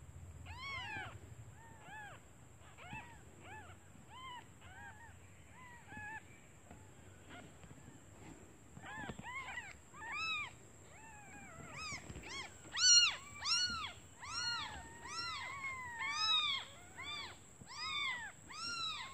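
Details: Newborn kittens, left while their mother searches for food, calling to her from hunger: faint, scattered mews at first, then a louder rapid run of high arched cries in the second half, with a steady thin whine behind.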